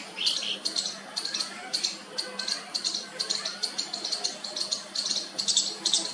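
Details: A baby squirrel tries its first call to its mother with sharp, high, rasping chirps. They come in quick irregular pulses, a little louder toward the end, over a faint steady low hum.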